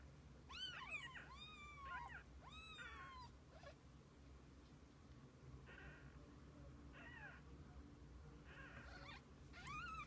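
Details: Kittens with their mother cat, spending the day together: a quick run of high, arching, harmonic mews in the first few seconds, followed by softer, shorter mews later on, over a steady low background hum.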